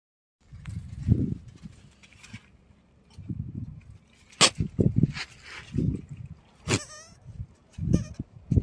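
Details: Goat calling in a short clip: several low, broken bleats with bursts of harsh noisy sound and a few sharp clicks or knocks between them.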